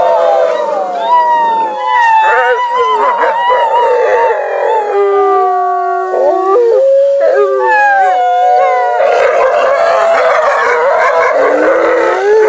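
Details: Gray wolves at Wolf Park on the night of 18 August 2018 answer people's howls with a chorus of long, sliding howls, while Kanti, Fiona and Bicho jostle for attention and try to intimidate the others with growls.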